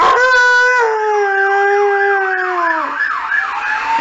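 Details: A Saluki howls at passing emergency services sirens, holding one long, steady, gently descending tone for nearly three seconds while a warbling siren rises and falls rapidly alongside and carries on after the howl ends.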